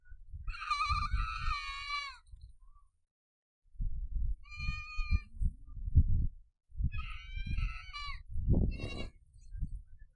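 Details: Several donkeys met in the Tharparkar desert bray in harsh, wavering, strongly tonal cries in three bursts over heavy wind rumble.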